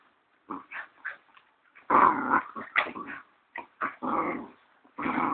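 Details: Ten-week-old Siberian Husky puppies play-fighting at a kennel in Kaitaia, New Zealand, on 1 September 2011; short yaps give way to loud rasping growls and snarls in repeated bursts, louder toward the end.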